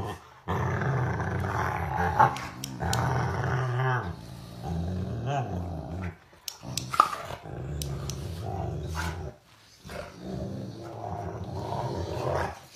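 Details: Rottweiler dog growling indoors: long, low rumbling growls in sustained stretches, broken by brief pauses, with people talking and occasional clicks and knocks in the background.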